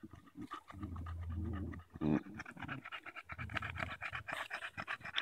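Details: Daisy the Bulldog, playing with a branch on a walk in Erindale Park in July 2014, pants in short quick breaths. Human speech and low rumbling sound over the early part.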